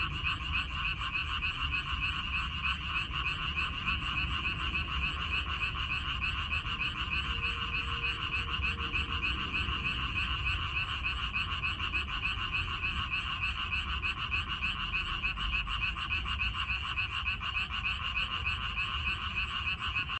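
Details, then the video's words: A chorus of frogs from a minari field, May 2021, evoking the Korean countryside: many callers croak together in quick rattling pulses, around three each second, a thick unbroken drone with a brief faint tone partway through. "고향 생각 나게 해주는 개구리 소리, 미나리밭의 그놈들, Croaks of Frogs"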